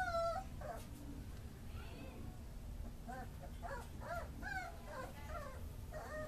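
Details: Tricolour beagle puppies, a female among them, give soft, high, wavering whines and short yelps in uneven bursts, some rising then falling, over a constant low hiss and rumble.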